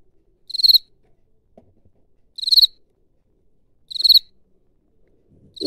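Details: A field cricket, at its burrow, gives short, pulsed, high-pitched chirps by rubbing one wing against the other, repeated about every second and a half.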